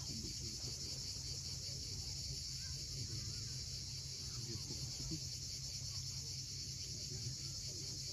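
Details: Sunset cicada chorus from the steep shore of Cape Fiolent in Crimea, a constant shrill buzzing band without pauses, layered over steady low wave noise.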